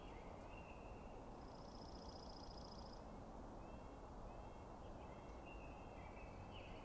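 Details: Bugling of elk bulls at night as the Sheriff, the largest bull, faces a challenging bull with several other bulls nearby: thin high whistled notes, one long pulsing tone near the middle, then shorter gliding whistles, over steady low rumbling background noise.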